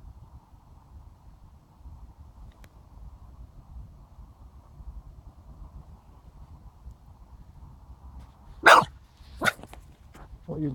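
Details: Dog named Ted barking at nothing, possibly at fog in the distance; after a long stretch of quiet low hum, three sharp, loud barks burst out in the final few seconds, spaced under a second apart.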